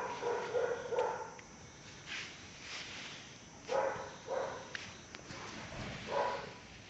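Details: Caucasian Shepherd Dog, a year and one month old, in Azerbaijan, giving a quick double bark, then single barks with a low harmonic ring, spaced a second or more apart, over a steady hiss.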